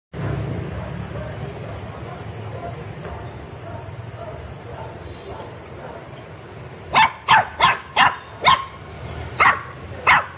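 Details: Pet puppies at play in a garden: after about seven seconds of quiet outdoor background, a quick burst of sharp, high yipping barks, six or seven in close succession with brief gaps.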